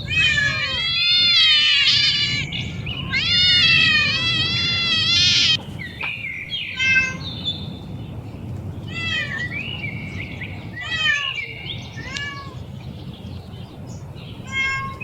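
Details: Several cats and kittens on an outing: loud, drawn-out meows come in quick succession for about five seconds. Softer, shorter mews follow at irregular intervals over steady low background noise.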